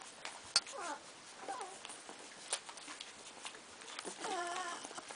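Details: Cardigan Welsh Corgi puppies, a 15-day-old litter going after the milk bar, give scattered thin squeaks with quick wavering pitch, then a longer, stronger warbling whine near the end amid rustling.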